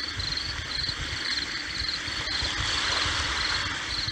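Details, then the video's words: Over the hiss and low thump of breaking sea waves, a cricket gives repeated short, high, rasping chirps in pulses of about two a second, meant as calming sound therapy. "Sea Waves+Cricket Sound"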